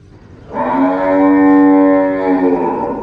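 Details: Cow (Bos taurus), moo.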